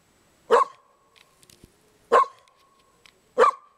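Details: Dog barking: three short, sharp barks spaced about one and a half seconds apart, each a brief broad burst with a faint trailing tone, separated by quiet gaps with a few soft clicks.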